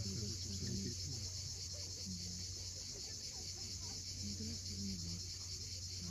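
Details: At Cape Fiolent, Crimea, an evening cicada chorus holds a constant high metallic hiss. Short low tonal sounds and a steady hum of surf sit beneath it in this coastal sunset scene.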